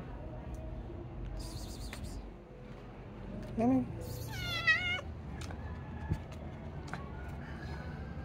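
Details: Calie, a stray female calico cat, gives a short cry and then one drawn-out, harmonic-rich meow that rises and falls. A person talks nearby over a steady hum of street noise.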